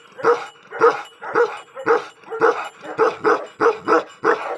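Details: Tibetan Mastiff, angry, delivering a rapid run of rough barks, about two each second, evenly paced with a few doubled barks close together.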